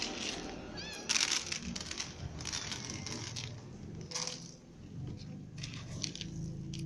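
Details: Domestic cats having dinner together, a ginger cat, little cats, a baby kitten and the mother cat: a short wavering meow near the start, surrounded by loud crunching and rustling of eating at close range.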